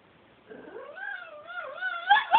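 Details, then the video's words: Toby, a pet dog being a naughty boy, gives a drawn-out tonal whine that wavers up and down and climbs in pitch, ending in two sharp, higher squeaks. "Toby crying"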